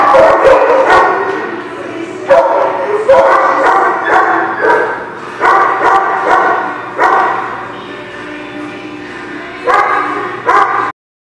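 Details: Dogs barking on 26 January 2019, loud overlapping harmonic barks in bursts of one to two seconds separated by short pauses, the outbursts repeating about every two seconds before the sound cuts off abruptly near the end.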